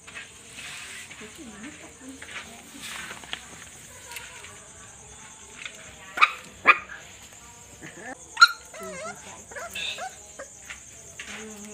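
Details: Night-time puppy play and quarrelling, with soft scattered whimpers and grumbles, a few sudden sharp yaps near the middle, and a thin steady whine of background hum throughout.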